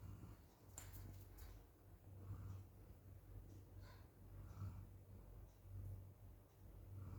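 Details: Golden Retriever asleep and snoring, worn out while the weather outside is very hot; soft, low, breathy snores swell and fade about every 1.3 seconds over a steady low indoor hum, with a few faint clicks.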